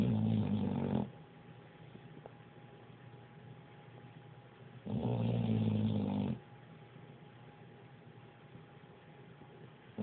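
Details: Pit bull asleep indoors, snoring loudly: two deep, rumbling snores about four seconds apart, each lasting roughly a second, with a low steady hum between them.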